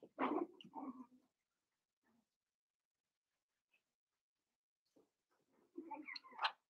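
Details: Five-week-old Cavalier King Charles Spaniel puppies in Daisy's indoor puppy pen give short yelping, whimpering bursts near the start and again near the end, with a quiet stretch of several seconds between them.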